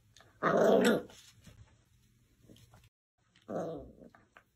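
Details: Miniature Dachshund indoors: a loud, rough growl lasting about half a second, a stretch of quiet with faint low hum, then a second shorter, softer growl.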